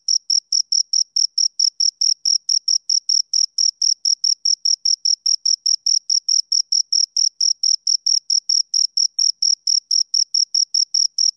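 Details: Crickets, two of them, produce an even stream of clipped, high chirps at a steady, regular pace throughout, every pulse short and equally loud, with a fainter higher tone above; quiet surroundings.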